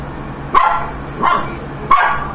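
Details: Mila, a pet dog, barking at food: three sharp, loud barks spaced roughly two thirds of a second apart, each a short burst with a quieter tail, over a steady low background hum.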